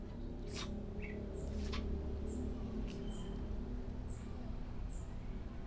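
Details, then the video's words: A sick Persian cat with sneezing and a runny nose that still eats a little gives several short, sharp, breathy bursts. Thin high chirps repeat about once a second over a steady low hum. "persian cat is sick with sneezing and runny nose but still eats a little"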